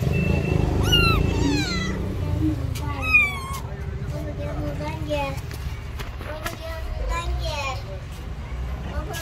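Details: Tiny stray kitten, afraid of people, hiding in its mother's lap on the street: a series of thin, high, wavering meows repeated every second or two, over steady low traffic rumble and a person talking.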